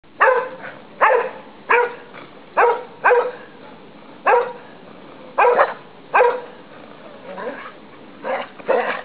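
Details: Two English Cocker Spaniels running riot in a snowy garden in December 2009; one gives a run of short, sharp, mid-pitched barks about half a second to a second apart, with softer yips and rustling between.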